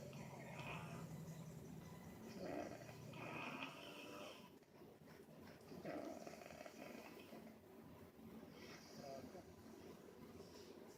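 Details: Indoor snoring of a dog named Angel Bear: uneven, grating snore bursts rising and falling at intervals of roughly two to three seconds, softer toward the end, against a murmuring room background.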